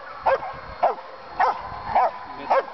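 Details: German Shepherd (Alsatian) police dog at a breeding and training kennel in Boxmeer, the Netherlands, barking during police dog training: five sharp, loud single barks about every half second, evenly spaced over a faint background hiss.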